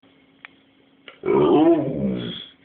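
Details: Pet dog indoors in a small room giving a drawn-out, wavering harmonic whine-howl lasting about a second, after faint clicks, while a person repeatedly asks in Polish where another animal is; the dog wants to go to it.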